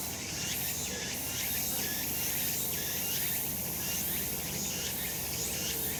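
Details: Cicadas calling in summer sun on a mountain: dense, bright, buzzy chorus with looping rising-and-falling pulses that follow each other closely, backed by a constant high-pitched insect hiss.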